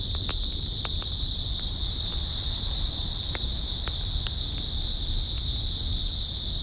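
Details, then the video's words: A constant high buzzing trill from many grass insects fills an early autumn night. Frequent sharp ticks and crackles are scattered through it over a murmuring low-frequency rumble. "풀벌레 소리"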